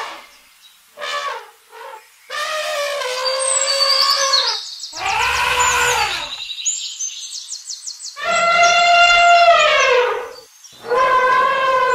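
An elephant trumpets in a series of loud, brassy blasts, each lasting one to two seconds.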